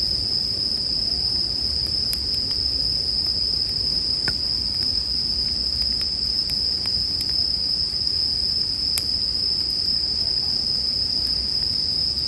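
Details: Bell cricket song forms an even, high-pitched ringing drone throughout, while a bonfire crackles now and then with sharp pops, arranged as calming sleep music.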